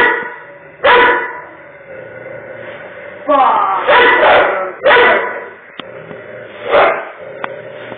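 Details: A pit bull stands its ground against a Doberman, giving loud, harsh barks in short bursts over a steady musical background.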